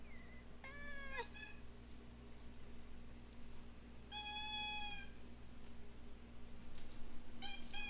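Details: Pair of cats vocalising: a bent, harmonic-rich meow near the start, a longer flat meow in the middle, and a brief squeaky call at the end, with a constant low electrical hum underneath.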